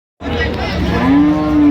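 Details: Cattle at a Friday livestock market among cows and calves, Ambari haat, Dinajpur, Bangladesh, 16 January 2026. One long, low, steady moo swells and holds to the end over a dense murmur of crowd noise.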